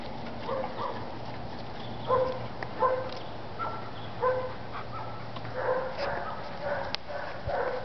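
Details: Adult German Shepherds during socializing: scattered short, tonal whimpers and yelps, some in quick pairs, over a low steady hum, with faint voices in the background.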